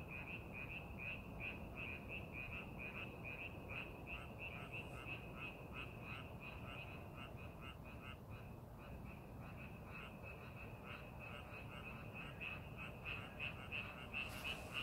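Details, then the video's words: Frog chorus from a rice paddy during preparations for the farming season: dense, rapid croaks running continuously, roughly three a second, layered from several callers, with a steady low background hum. "논에서 개구리 울음소리"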